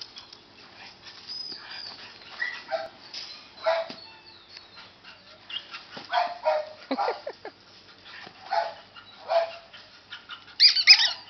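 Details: Siberian husky whimpering in short, irregular high whines, some bending downward, mixed with brief soft yelps, growing louder toward the end.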